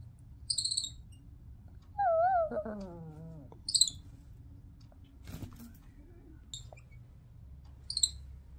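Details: A young male Midas tamarin weighing just over 1 lb gives warning calls: sharp, very high alarm chirps with a wavering whistle between them.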